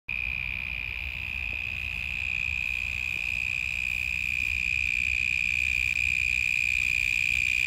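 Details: Grasshopper in Australia, deafeningly loud up close: a steady, unbroken high-pitched whine holding one shrill tone with fainter overtones above, fast pulsing underneath, low rumble of background noise.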